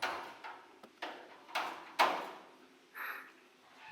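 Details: Several sharp knocks or clicks with fading echoes in a small room, followed by a short rustle; no animal voice.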